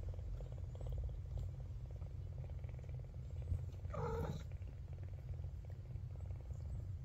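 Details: Young Maine Coon kitten, the last of its litter to open its eyes; a soft continuous purr runs throughout, broken midway by one short high meow that bends down in pitch, with a faint low hum behind.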